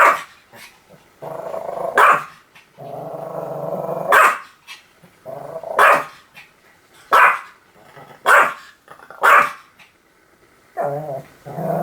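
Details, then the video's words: Pomeranian barking in a compilation of repeated barks: sharp high barks every one to two seconds, with low growling rumbles between them. "犬の鳴き声 ポメラニアン 1000回吠え Dog sound effect"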